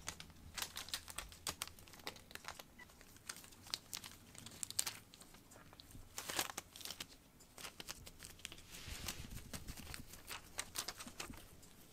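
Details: Crinkling and tearing rustles with scattered clicks in a small indoor room, no animal voice heard.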